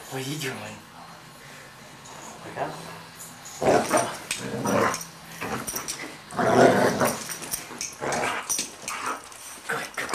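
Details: Two dogs, a German Shorthaired Pointer and a Yorkshire Terrier, playing together; rough, breathy play growls come in bursts in the second half, with thumps and rustling around them.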